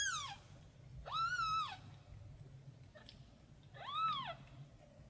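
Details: Small kitten calling out for its mother: three drawn-out, high-pitched meows, each swelling and then falling away, separated by pauses and faint background hum.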